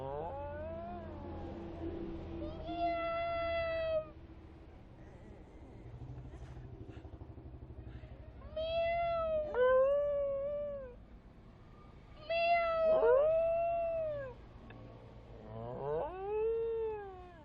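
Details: Harry, a pet dog aged seven and a half, voices long, harmonic, whine-like howls in response to high-pitched sounds. Four bouts of arched, falling cries, some overlapping in quick wavering pairs, separated by quieter stretches with low background hum.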